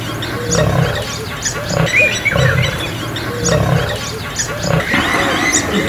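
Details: An old male lion fights young male lions for territory in Kruger National Park. Deep, grating growls pulse irregularly, about every three seconds, with raspy snarls layered over a rumbling undertone throughout.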